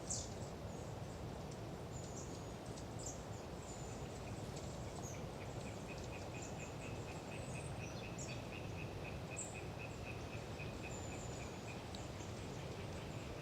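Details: Windy autumn swamp forest at Galeriç, Kızılırmak Delta, Samsun, where Hyla orientalis tree frogs chatter: a rapid pulsed rattle rises out of the wind in the second half, with scattered high thin calls of long-tailed tits throughout.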